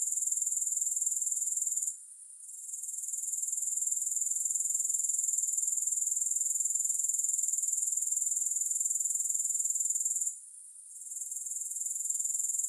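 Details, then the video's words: Grasshoppers in a long recording with no music: a dense, high-pitched continuous buzz with a fast pulsing texture, broken by two short dips in loudness near two and ten seconds. "Grass Hopper Sounds"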